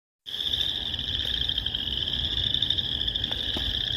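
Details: Boreal chorus frog. A dense chorus of boreal chorus frogs fills the air with high, rasping trills that merge into one continuous buzz. Each creaky, comb-like rattle overlaps the next, leaving hardly a gap.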